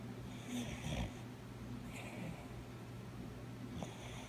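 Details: Coco, a nine-year-old brown cockapoo, snores while dreaming indoors: soft breathy rasping bursts near the start, around two seconds and again just before four seconds, over a steady low room hum.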